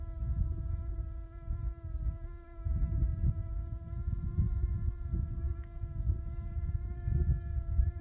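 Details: Steady droning hum of a honey bee, one unwavering mid-low tone with bright overtones held throughout, accompanied by gusty low-pitched wind rumble.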